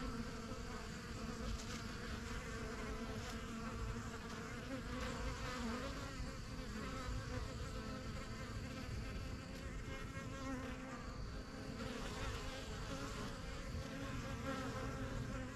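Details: Backyard beekeeping hive of honey bees, strongest of the first few hives begun in spring 2023, foragers flying in and out; dense, even humming swarm sound, unbroken throughout with faint higher whines.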